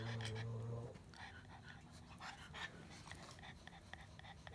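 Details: ['Pug giving a short, low humming grumble at the start, then quick snuffly panting breaths that fade into softer snorts.']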